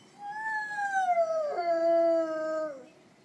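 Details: A Dalmatian outside a supermarket on a town square in Lund, Sweden, gives its peculiar, repetitive complaining cry, heard for a long time across the square: one long, high whine sliding downward, then a lower, rougher tone; Dalmatian.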